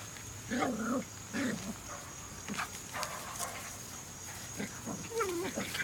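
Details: Jack Russell Terriers, a trio, making short whining, yelping calls with wavering pitch, several brief bursts in the first two seconds and a sliding whimper near the end, over a faint steady high background tone.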